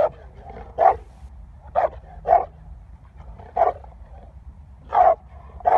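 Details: Presa Canario dog recorded in 2019: six deep, loud barks at uneven intervals, some close in pairs and others spaced one to two seconds apart, over a steady low hum.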